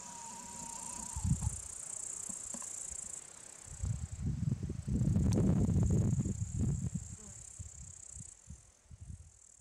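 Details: Tettigonia cantans bush-crickets sitting on monkshood, their sustained piercing high-pitched trill droning without pause, partly masked midway by loud low rumbling and bumping noises, with a faint steady whistle-like tone at the start.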